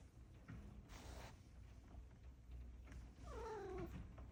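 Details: A Maine Coon cat yawns on a rainy day, giving a single drawn-out meow that slides downward, over a steady low rumble and hiss.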